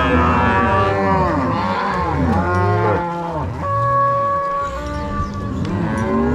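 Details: Overlapping moos from Angus-Nelore crossbred cows being moved from corral to pasture by cowboys and dogs, Ortigueira, Paraná, Brazil, March 2022; deep drawn-out lows rising and falling, several animals calling at once.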